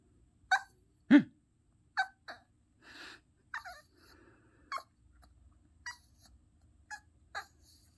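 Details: A Yorkshire Terrier, as if in conversation, makes a run of brief, high-pitched yips mixed with soft whining grumbles in uneven bursts about a second apart, with quiet breathy noises between them.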